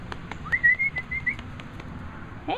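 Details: Chinook, a young puppy near Mooresville, NC, calm and snuggling with people and her siblings, gives a thin, high whistled whimper held for most of a second, then a short falling squeak; brief soft speech nearby.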